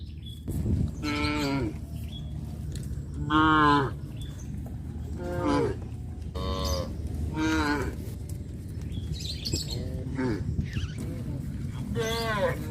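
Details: Cows (Bos taurus) on a traditional village farm, roaming village streets with a nursing calf, moo in turn, each call a drawn-out harmonic lowing rising and falling in pitch.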